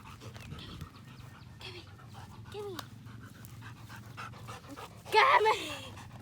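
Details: Belgian Malinois shepherd dog Strider out on a walk, playing with the family: steady rapid panting throughout, a short falling whine near the middle, then a louder harmonic yelp-like burst toward the end, with human voices in the background.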